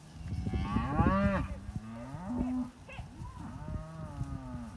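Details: Belgian Blue x Beef Shorthorn cows and calves, cows three years old and calves five to seven months, Eastern States of Australia; a loud drawn-out moo rising then falling, followed by shorter low bellows and a fainter moo, over rustling background.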